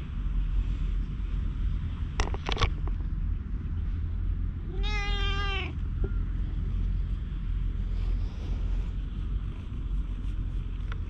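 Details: Stray cat that climbed onto a lap on a park bench: a single bright, harmonic meow lasting about a second, over steady low rumbling background noise, with a few clicks before it, filmed on a GoPro HERO8.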